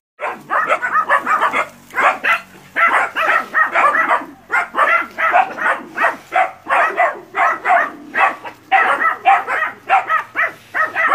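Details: Nine puppies in training confront a large water buffalo before field hunting, Porbi West Sumatra, Indonesia; dense rapid yapping barks from several puppies overlap continuously, short sharp bursts packed closely with barely a pause.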